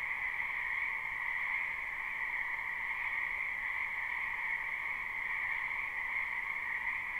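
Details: Frogs calling together in a wetland during spring, captured live with no looping. A thick wall of overlapping croaks and trills runs continuously, steady in pitch and loudness, and no other noises are heard.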